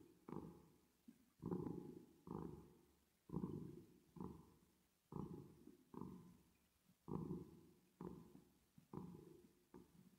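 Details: Sleeping, resting cat with reverb added, purring in deep, buzzy pulses. Each breath makes a rumbling surge that trails off, paired strokes recurring about every two seconds.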